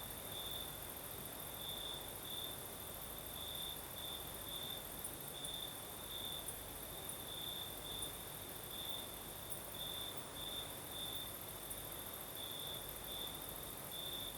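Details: South Crimean night with crickets singing and a gentle breeze: high, clipped chirps come in quick uneven strings along one steady pitch, with a faint upper insect buzz and continuous soft wind.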